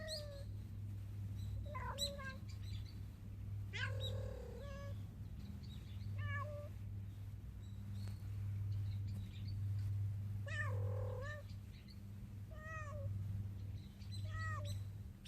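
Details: Mother cat, watched from a distance, calling her hiding kitten to come and eat after feeding alone for nearly eight minutes; a series of short and drawn-out harmonic meows, some wavering, over a steady low hum.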